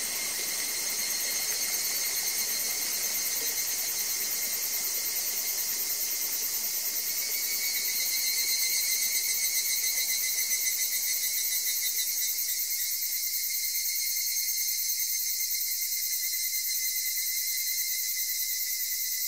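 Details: Evening cicadas (Tanna japonensis, higurashi) keep up a high, shimmering, metallic chorus over a softly murmuring stream, recorded in Ena, Gifu, Japan, whose rushing fades partway while the insect song carries on; evening cicada.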